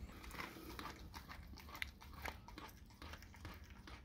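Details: Raw cow tongue being chewed by a dog: quick, uneven wet crunches and lip smacks about twice a second over a dull low hum.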